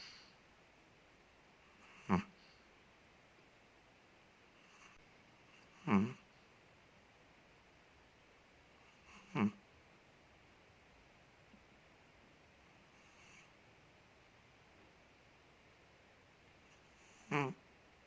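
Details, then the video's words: A big Chihuahua named Ted, living in Indonesia, snoring while asleep indoors: short breathy snorts spaced about every three to four seconds, with quiet room hiss between them. "5 MINUTES DOG SNORES"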